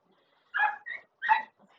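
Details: German Shepherd dog giving two short barks, the second rising and louder, followed by faint rustling in a quiet room.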